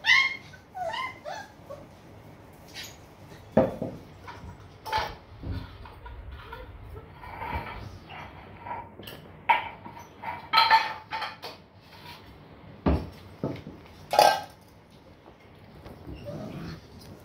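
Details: Long-coat German Shepherd puppies in Patna whining and yelping, opening with a run of falling squeals, then scattered yips among thumps, scuffles and handling noise.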